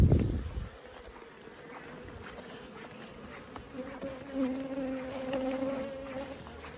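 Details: Honey bee swarm being caught: after a thump at the start, a low, steady droning hum settles in and grows fuller in the second half, with a higher overtone running above it.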